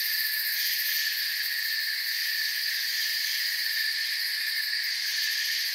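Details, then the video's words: Forest crickets in a dense, unbroken chorus: shrill high trilling stacked in several steady pitch layers, with a fine rapid pulsing in the highest band and no pauses or other sounds. "Forest Sounds and Crickets"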